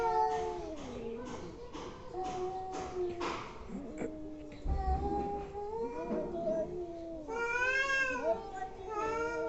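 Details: Angry domestic cats making weird noises: wavering, warbling howls that bend up and down, overlapping with scattered clicks, a low thump and bursts of noise; a loud harmonic yowl near the end.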